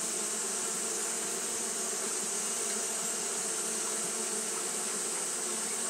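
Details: Hot-day fanning by Japanese honey bees, heard as a smooth, continuous drone with faint pulsing in its lower tones and a steady airy hiss above.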